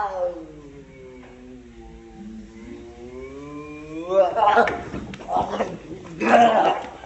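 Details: Two domestic cat brothers fighting: a long, low, wavering growl-yowl slowly rising in pitch over four seconds, followed by rough noisy bursts of hissing and scuffling.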